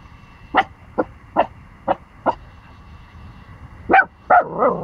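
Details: A 14-week-old Pomsky puppy gives a run of sharp, high barks, then a few louder, yelping ones, barking at a big dog before running away scared.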